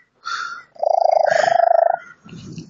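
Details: Female pet cat with an unusual purr she has had for about five months, cause unknown to her vet, recorded on a phone: a buzzy, rapidly pulsed mid-pitched rattle lasting about a second, with softer squeaky tones before and after.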